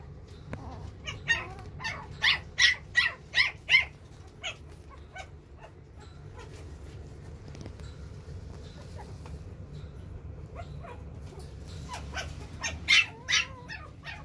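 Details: Silver-coated male puppy with a round face and thick coat, offered by a breeder. A rapid series of short, high yips over the first few seconds, quiet stretch, then another brief burst of yips near the end over a steady low hum.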